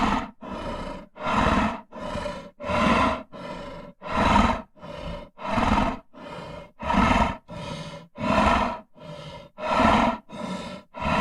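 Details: Rhythmic heavy breathing from a lion: some fifteen rough, throaty huffs over eleven seconds, evenly spaced and alternating slightly louder and softer, with no other sounds.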